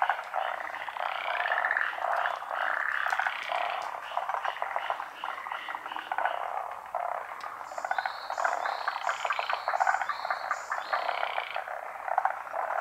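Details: Forest green tree frogs, endemic to Honshu and Sado Island in Japan, gather to spawn at midday in the rainy season. A steady mass of rattling pulsed croaks, with a series of higher repeated tones midway.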